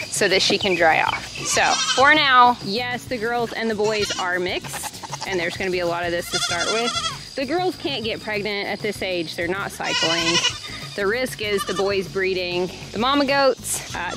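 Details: Baby goats crying out while being weaned, many overlapping wavering bleats in a continuous noisy chorus, some cries sharp and high, others hoarse, barely a gap in fourteen seconds.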